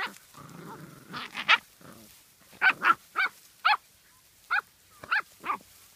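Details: Welsh Springer Spaniel barking: a low growly rumble at the start, then a run of about eight short, sharp barks roughly every half second, with near silence between them.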